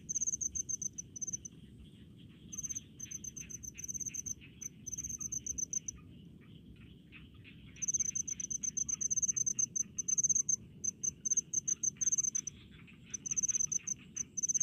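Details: Rice-field crickets at a countryside paddy: sharp high chirps strung in fast series, with silent breaks lasting a couple of seconds, and a dense faint insect chorus underneath.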